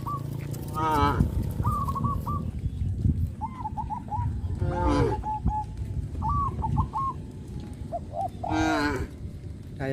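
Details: Village cows driven to harvested rice fields; three separate harmonic moos spaced a few seconds apart, with chirping birds calling in short bursts between them over a low rumbling background.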